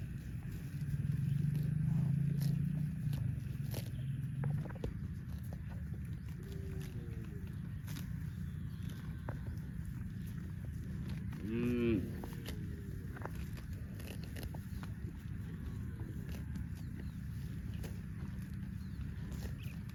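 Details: Dozens of tame cows run happily through green grassy rice fields on a cattle farm; a long low droning moo opens, later a short rising moo, over steady rumbling background noise and footsteps.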